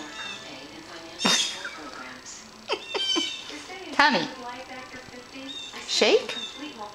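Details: Polydactyl pet cat being asked to shake paws; several short meows, some rising then falling, others downward-sweeping, mixed with a woman's quiet coaxing speech.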